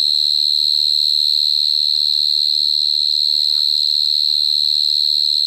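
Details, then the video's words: Cricket recorded close up in 2022, a continuous shrill high-pitched trill held steady throughout, with faint low murmurs in the background. "Dế kêu Cận Cảnh"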